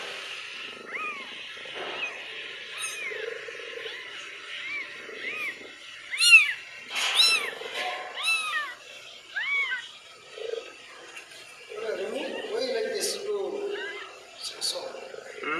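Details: Mother cat with six kittens on a shoe rack; repeated high, arched mews, several overlapping in bursts, rising and falling quickly, with soft rustling and quiet low murmurs between calls.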